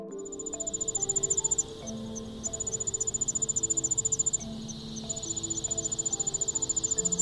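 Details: A katydid at Big Marsh Park, Illinois, in summer gives a dry, high, less musical buzzing song of rapid pulses over soft background music.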